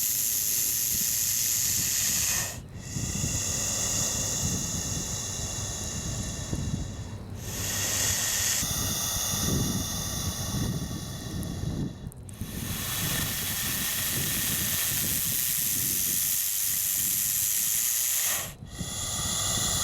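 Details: Large wild bullsnake in northeastern Oklahoma hissing in a defensive display: long, harsh, breathy hisses held for several seconds, broken by brief pauses, over heavy low wind rumble.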